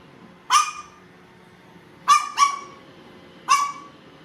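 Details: Household Chihuahua, watching a robot vacuum cleaner alongside a baby, gives four short, bright yaps, two of them in quick succession, separated by quiet gaps with a faint constant hum beneath.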